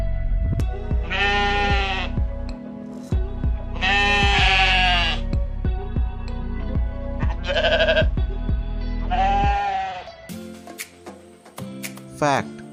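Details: Sheep bleating over steady background music with a drumbeat: four loud, wavering, nasal bleats, each about a second long, spaced a few seconds apart, the music continuing after them.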